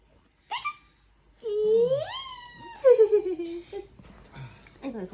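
A kitten gives thin, high mews that rise and then slide down, with a human voice nearby.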